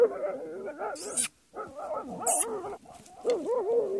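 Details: Jagdterrier working against badgers, pouring out quivering, tremulous yelps that rise and fall. Bursts of hissing scuffle noise cut in between the calls.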